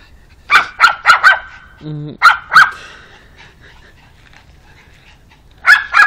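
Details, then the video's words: Meeting a new dog friend, the pug Alfa lets out clustered bursts of sharp, high barks, three or four at a time, separated by quiet gaps. A brief low droning sound intrudes once between the bursts. "Pug Alfa"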